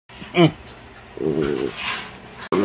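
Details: Playful yellow Labrador Retriever puppy grunting happily while playing indoors: a short rising whine-like note, then a low, buzzy, harmonic grunt lasting about half a second, with a person's voice nearby.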